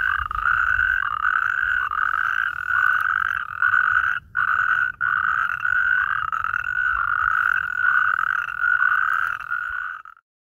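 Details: A rare natterjack toad calls near Allendorf/Katzenelnbogen, Germany, on 22 April 2023, giving a loud, rasping, continuous rattle with barely a pause.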